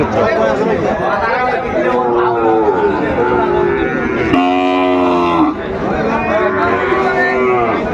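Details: At a Chattogram cattle market in Bangladesh on 17 January 2025, Sahiwal bull calves for sale give deep moos. One long, strong harmonic bellow mid-way is preceded by shorter lowing, all under continuous human talk.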